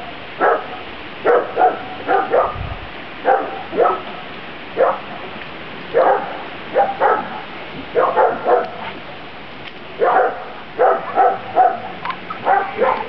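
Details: Grand Basset Griffon Vendéen pups of a B-litter barking outside on their first outing, 23 June 2009: a steady stream of short, high, yappy barks, often in pairs or triplets, roughly two per second.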